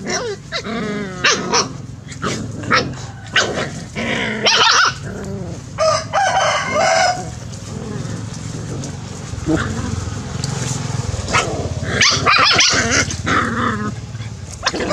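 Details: Puppies play-fighting, giving short harmonic yelps and squeals with bursts of growling and scuffling, in irregular rapid clusters through the clip; a steady low hum runs underneath.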